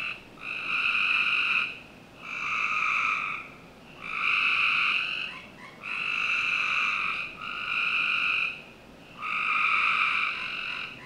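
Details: Backyard frogs in Northern Virginia calling through a summer night, giving six evenly paced, rich buzzing notes of one to one and a half seconds with short quiet breaks between them.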